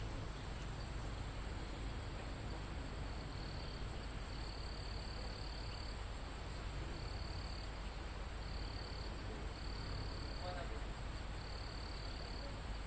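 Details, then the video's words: Crickets calling in a calm forest almost at the top of a mountain, recorded live: repeated bursts of a high, level trill about a second long, separated by short gaps, over a steady insect drone and low wind in the trees. "Calm Forest in Mountain With Crickets, Insects Sound"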